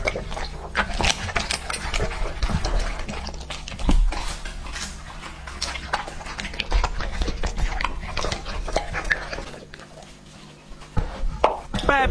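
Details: Lucky, a two-and-a-half-year-old male English-type Labrador Retriever, eats raw meat up close: wet smacking chews, crunches and licking clicks that come in quick irregular bursts. A steady low hum runs underneath.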